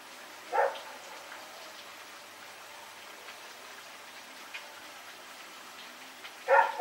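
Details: Dog named Rex barking while running around at night in Pyrga, recorded September 21, 2018; two sharp, loud barks, one near the start and one at the end, separated by a steady background hiss with faint ticks.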